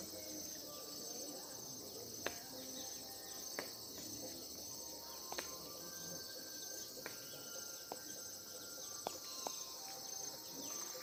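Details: Insects in Uttarakhand, India, forming a continuous high shrill chorus with a pulsing buzz, scattered clicks and faint distant sounds.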